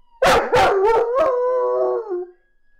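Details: A German Shepherd puppy howls in response to a police car siren, giving a few quick yips, then a thin, wavering howl that slides downward.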